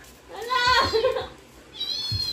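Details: Siberian Husky responding to played dog sounds, giving a rich, arching harmonic whine that rises then drops into a short low yelp, followed by a thin, high sustained whine, with soft background thumps.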